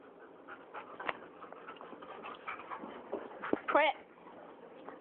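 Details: A boxer and a rottweiler vocal about dinner: soft whining and a few sharp yips, ending in a wavering high whimper, with a person's voice quietly in the background.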